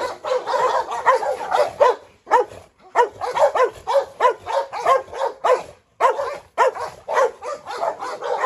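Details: Dogs in a yard: a Rottweiler called Pirate chases a Presa Canario female, Hu Niu, round in circles while a Staffordshire joins the trouble. Rapid, rough barks about twice a second, in bursts broken by brief pauses.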